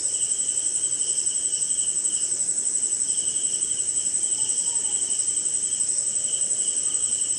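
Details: Rainy-night cricket chorus from India: continuous shrill ringing trill above, a lower band of rapid chirp pulses in stretches with short gaps, light rain noise below.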